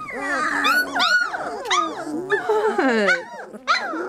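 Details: Litter of 3-week-old Lab puppies crying together: high, sliding yelps and squeaky whines overlapping in a busy chorus, some cries swooping sharply up and down, a person speaking faintly underneath.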